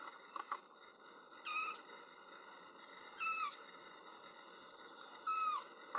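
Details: Kitten crying for its mother while she is out on a walk: three rising then falling high meows spaced about two seconds apart, each with strong overtones, plus faint clicks and a steady hum.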